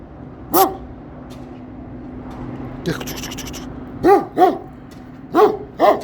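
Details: Kangal barking as a person approaches its area, coaxing it in Turkish; single deep barks spaced irregularly, one then a pair and another pair, with a man's voice and a brief rustle between.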